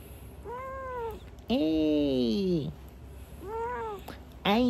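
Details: Pet cat in winter time, eating, giving quiet sweet meows: three arched, tonal mews with rich harmonics, the middle one longer and louder with a falling end, and a fourth meow starting at the close; a low steady hum underneath.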